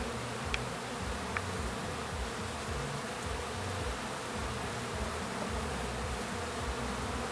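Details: Honey bees at the hive, new bees making orientation flights as they become foragers while others clean up honey cappings; a steady, dense buzzing drone with a few faint ticks over it.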